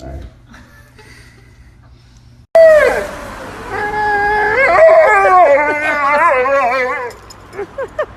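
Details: Siberian Husky talking indoors: after near silence, a long, wavering howl-like vocalization of about four seconds with rapid warbling pitch changes, ending in a few short yelps.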